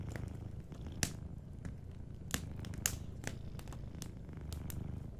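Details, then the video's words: Soft, even purring of a sleeping cat by a cozy fireplace, a continuous deep rhythmic rumble with scattered quiet crackles from the fire. "Warm Fireplace Ambience with a Sleeping Cat 🐱💤Fireplace & Soft Purring"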